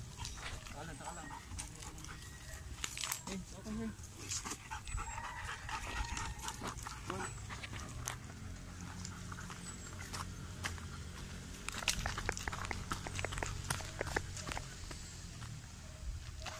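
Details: Belgian Malinois in urban search and rescue training on rubble, giving aggressive indications: clusters of sharp broadband barks and panting, denser toward the end, over a steady low hum, with people talking in Filipino throughout.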